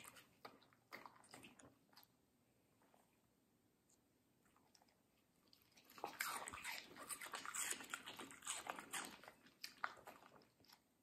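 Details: Indoors, Middle, a female Samoyed, munches crunchy, juicy watermelon in an ASMR recording. Occasional bites open, a near-quiet pause follows, then around six seconds rapid, continuous wet crunching runs for several seconds before easing off.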